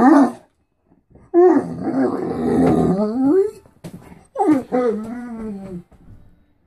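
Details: A Great Dane "talks" in the morning in long, wavering groaning whines that rise and fall, as he does every morning when asking to be fed and for attention.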